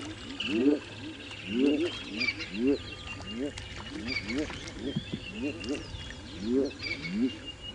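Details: A chorus of African bullfrogs at a breeding pond in Djuma Game Reserve, South Africa, on a rainy December sunrise, gives low, rising, whooping calls overlapping about one per second, with splashing; thin bird chirps sound higher above.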